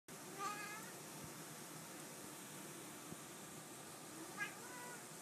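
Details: Domestic cat, happy to see its owner, gives two short, arched meows, one near the start and one about four seconds later, with quiet indoor background between them.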